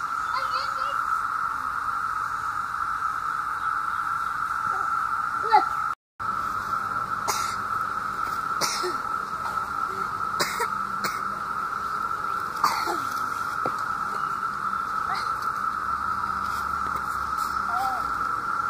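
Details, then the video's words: Loud continuous hum of 17-year cicadas emerged in summer 2016 in Southeastern Ohio, a level whirring tone running the whole stretch, broken by brief human voices, clicks and a short dropout. "17 Year Cicadas"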